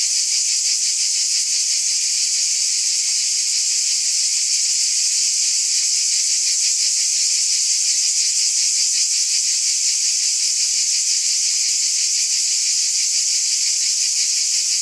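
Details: On a summer night a chorus of cicadas keeps up an even, sizzling high buzz, faintly pulsating, unchanging in strength from start to finish, with no other animals or noises.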